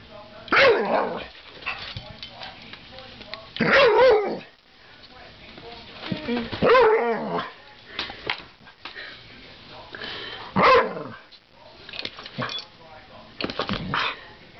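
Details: Barking from an American Staffordshire Terrier battling a coat hanger: loud yelping barks in bursts every few seconds over fourteen seconds, mixed with scuffling and clatter.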